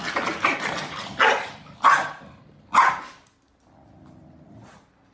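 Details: A hefty corgi gives a fast string of harsh barks, slowing to three spaced, emphatic woofs about half a second apart, then falls silent over a low indoor hum.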